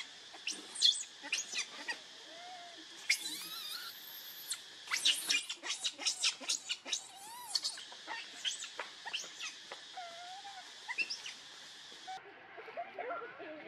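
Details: Baby monkey Leo, pitifully begging its mother for milk, gives a dense stream of shrill squeals and a few long, drawn-out wailing whines, loudest in the middle, with a continuous hiss underneath.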